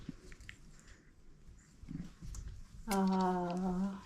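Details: Old Family Red Nose Pit Bull puppies, five weeks old, indoors with their litter; after faint low grunts, one steady, drawn-out tonal whine holds a flat pitch for about a second, over quiet room noise.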